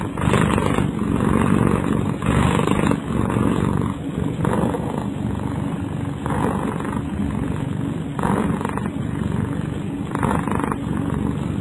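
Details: Snoring from Kyara, a domestic cat fast asleep: a steady low growly rasp, with breathy louder pulses returning about every two seconds, about six of them.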